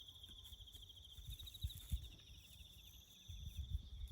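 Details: Crickets chirping in the bush during farm work to build a road: a steady, high, finely pulsed trill runs unbroken through the clip, over low thuds and rumbling from the work nearby.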